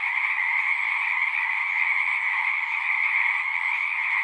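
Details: Frogs singing at a pond in a horse pasture, recorded on a Zoom 6: a dense, unbroken chorus of many overlapping high trills, steady and loud throughout with no pauses.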